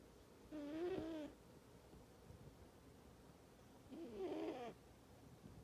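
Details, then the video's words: Sleeping male cat Panda Bear snores loudly beside his best friend Jax, who stays asleep. Two rough, wavering snores, buzzier and more breathy than tonal, come about three seconds apart with quiet breathing between them. "Panda Bear Snoring (Snoring Cat)"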